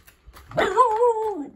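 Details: Dog on a walk with huskies and East European Shepherds, urged on by its owner; a single drawn-out tonal whine-howl lasting about a second, rising slightly then sliding down at the end, quiet background.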